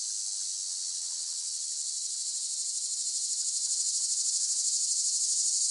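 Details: Cicada chorus offered as relaxing sleep sound, a dense continuous high buzzing shrill that swells slightly louder toward the end with a fine rapid pulsing, no other sounds.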